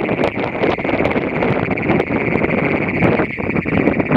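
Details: Great Plains toad in Nazareth, Texas, giving an unbroken, high, buzzy trill that holds one steady pitch for the whole stretch, half buried under heavy wind rumble and broadband noise.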